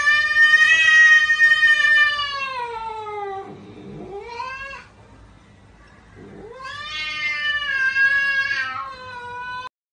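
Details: Domestic cat giving drawn-out, wailing meows: a long falling cry, a short rising one, then a pause before another long rising, wavering meow, all clearly harmonic and loud.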